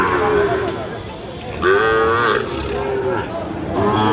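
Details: Sahiwal bull calves at a cattle market in Chuadanga, Bangladesh, 9 June 2025: a few short harmonic moos, one clear rising-falling call near the middle, amid market chatter and bargaining voices.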